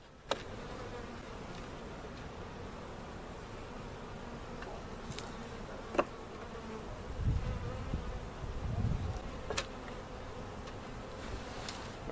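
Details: Bees and comb from a giant cutout settling into their permanent location at Jerome Bee Farm, Oklahoma; an even, low droning buzz persists, with occasional sharp knocks and a brief rumbling swell near the end.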